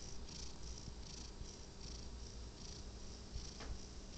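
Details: Sleeping cat snoring softly: a faint low rumble under gentle airy hisses that pulse roughly twice a second, recorded quietly with light background hum.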